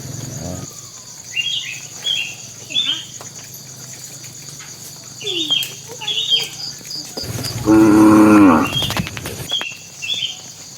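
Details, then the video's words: A bull calling to the cows as tame cattle head to the pen gives a single full, steady moo near the end, preceded by scattered short, high bird chirps over a quiet rural background. "suara sapi jantan memanggil betina"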